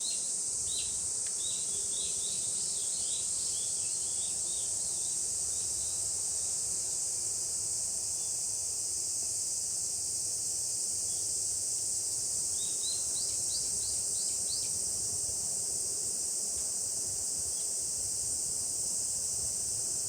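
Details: Cicadas in summer in Japan: a dense, unbroken high-pitched buzzing drone holds steady throughout, with scattered short bird-like chirps in the first seconds and again near the middle.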